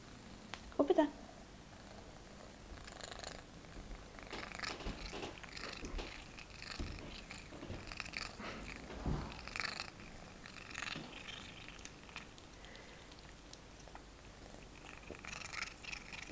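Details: Female domestic cat making odd noises while eating indoors: a short sharp tonal squeak near the start, then a run of soft, breathy, rasping bursts at irregular intervals over low background hiss.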